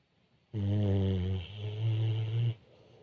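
A sleeping pit bull snores with a deep, rumbling, two-part drone, low and steady.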